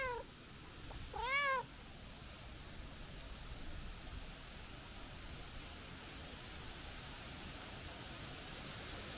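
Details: Calico stray cat calling as its visitor turns to go home; a single strong arched meow after a brief clipped sound at the start, followed by several seconds of quiet outdoor background noise.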